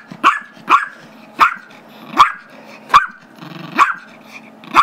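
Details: Eager barking from a 5-year-old Chihuahua/Yorkie mix demanding a squeaky toy during play with another small dog; seven sharp high barks spaced unevenly over a few seconds, with a brief low grumbling growl midway.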